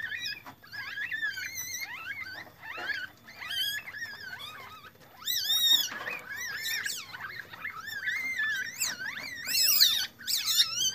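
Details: In a civet breeding enclosure, captive Asian palm civets around a female that gave birth to three young make a mix of bent, warbling squeaks and sharp chirps, mostly steady, with louder arched cries near the end.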